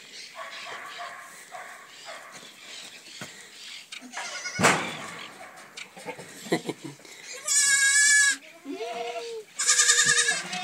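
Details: Goats in a pen after new kids were born: loud quavering bleats near the end, one answering another, over a background of rustling, a sharp knock and a man speaking Spanish.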